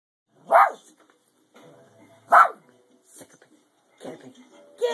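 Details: A gentle, normally peaceful female Shih Tzu gives sharp, high yapping barks at a cat while a person eggs her on with "get her".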